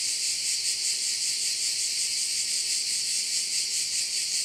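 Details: Crickets at one of the bays of Korčula, Croatia, form a dense, shrill, unbroken high buzz that throbs in quick, even pulses, with a faint steady low hum beneath.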